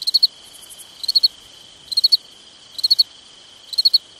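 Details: At night in summer, a cricket repeats bright three-pulse chirps about once a second, with a softer distant chirper and a steady high whine behind.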